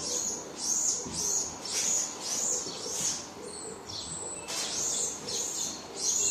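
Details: Baby marmoset crying for its mother: rapid series of very high arched squeals, a short level whistle in the middle, then the rhythmic cries resume.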